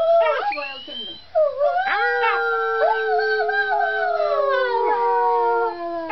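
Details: A male Arctic wolf pup a few weeks old, sitting in a cat tree tower, howls in thin, reedy tones: short yips and wobbling notes, then a long howl sinking in pitch before fading; Arctic wolf.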